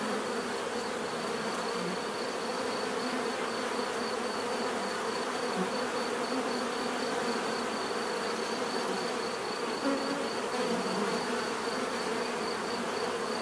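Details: Bees humming continuously in a thick, even swarm-like buzz with slight waxing and waning as individual insects fly close. A thin high pulsing note sits steadily above the drone.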